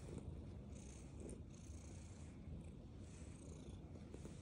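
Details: A black female domestic cat purring while she eats food indoors; a steady low rumbling purr swells and fades in slow breathing cycles, with faint soft hiss above.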